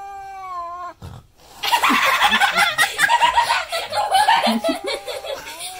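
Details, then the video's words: Frightened cat facing a custom painted goat skull mask lets out a long moaning yowl in the opening second, followed by loud bursts of human laughter and commotion that mask the rest. "Cat Scared by Custom Painted Goat Skull Mask and Makes Crazy Noises"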